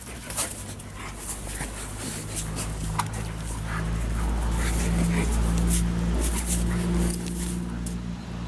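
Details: Alaskan Malamute Liza, happy after almost meeting two dogs and rolling in the snow, gives a long, steady low whine-like moan with sustained droning tones that swell midway, while a person speaks softly nearby outdoors.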